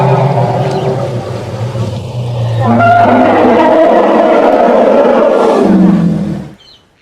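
An elephant gives a deep, droning rumble that swells into a loud, rough, harmonic roar.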